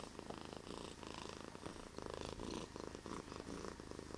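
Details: Deep purr from Bear, a pet cat, heard close up as a low, throbbing rumble that swells and eases with each breath, roughly every half second.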